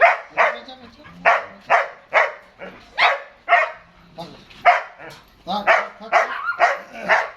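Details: Young German Shepherd, eight months old, from Dinajpur, Bangladesh, barking steadily, each sharp bark about half a second apart, harmonics stacked high, with a man's Bengali voice quieting it in the background.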